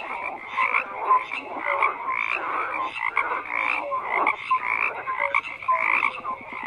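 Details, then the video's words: Frogs in large numbers keep up a continuous croaking chorus, buzzy pulsed calls swelling and ebbing with short clear pips scattered among them and no other sounds present. "FROGS CROAKING"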